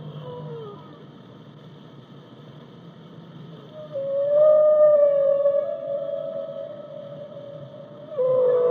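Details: Singing whale: a soft brief falling note, a quiet pause with a low rumble, then a loud drawn-out tonal moan rising slightly before leveling off, and a fresh moan starting at the end.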